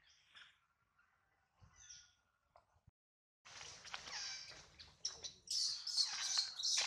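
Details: Hungry baby monkey Adler, missing his mother, cries while held by a small monkey. A few thin squeaks and a pause lead into loud, piercing, high screeches in rapid bursts that grow more intense toward the end.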